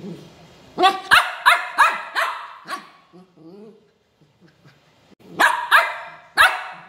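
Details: Angry pet dog giving harsh, rapid barks: a burst of five loud barks, a lull with soft low murmuring, then three more forceful barks in quick succession.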